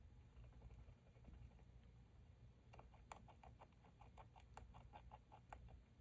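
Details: Hamster, a female, lying prone while grinding her teeth, 30 July 2023: faint scattered ticks give way to a run of sharp, closely spaced clicks in the second half, over a constant low hum.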